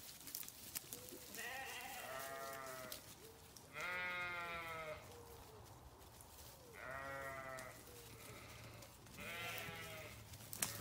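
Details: Grazing sheep on a farm bleat in a spread-out series of long, wavering, harmonic-rich calls, four main bleats across roughly eleven seconds, over a steady low background hum.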